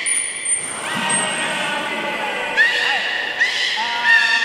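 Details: Beluga at Port of Nagoya Public Aquarium, 11 August 2018, during a pool move when Nana and Hodoi were to be exchanged. A long high whistle opens, followed by short rising chirps about once a second over echoing indoor noise.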